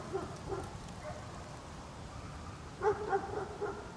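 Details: Outdoors, a dog gives a couple of faint barks, falls quiet, then barks several times in quick succession near the end, over steady background noise.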